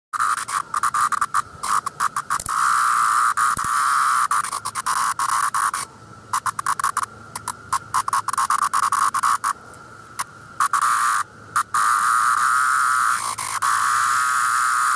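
Periodical cicadas fill the air with a continuous, pulsing drone, a mid-pitched buzzy whir like a distant motor. The sound drops out for a moment several times, then swells straight back to full strength.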